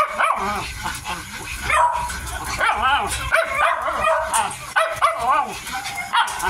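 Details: A 55-day-old Miniature Dachshund puppy at its food lets out repeated bent, whining yips, each rising then dropping, several per second in bursts, against a noisy background.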